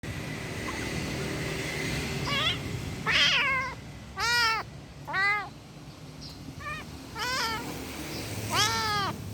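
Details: Angry kitten meowing: about seven arched, harmonic-rich meows at irregular gaps, some short and thin, others loud and drawn out, over a low steady background hum.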